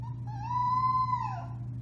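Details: A single drawn-out howl from a four-week-old Alaskan Malamute puppy of the Bema and Cole litter, March 30, 2021: it starts low, rises to a long steady tone, then slides down at the end, with a constant low hum beneath.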